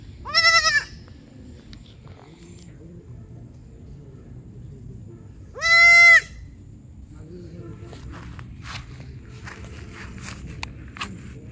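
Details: Kid goat calling: two strong, clear, tremulous bleats roughly five seconds apart, the second longer and steadier, separated by quiet low noise with faint clicks.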